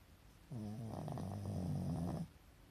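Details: A pet Pekingese sleeps with the whites of its eyes showing and snores in one long, low, rumbling breath of about a second and a half, with a wavering, slightly rising tone. Nothing else is heard.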